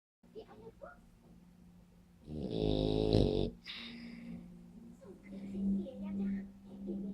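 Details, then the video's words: Spike, a French Bulldog, snoring indoors: a single loud, rasping snore lasting about a second, with low rumbling tones and a buzzy upper hiss, then quieter breathing. Faint voices sound around it. "Spike beim Schnarchen"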